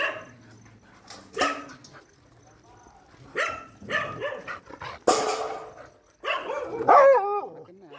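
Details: Shelter dog during night feeding, giving scattered sharp barks in short bursts, then a wavering, pitch-bending whine near the end, with low human voices and room noise between calls.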